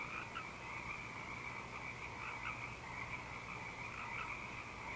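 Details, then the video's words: A night chorus of frogs at Eaglecrest, recorded 19 March 2012, many voices overlapping in a continuous trilling wash with individual calls rising above it, and an owl hooting somewhere behind. "Frog Chorus & Hoot Owl"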